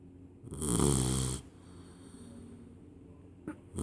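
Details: Labrador Retriever puppy, 12 weeks old, settled in for his evening sleep, snoring like a human: one long, loud, low rumbling snore lasting about a second, then quiet breathing and a brief soft noise near the end.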